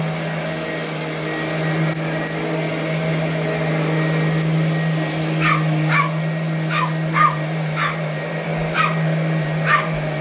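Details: Little Boston Terrier, 12 years old and 8.5 pounds, goes after a vacuum cleaner. A few seconds of motor hum, then a run of about eight short, sharp yapping barks, some doubled, over the constant drone.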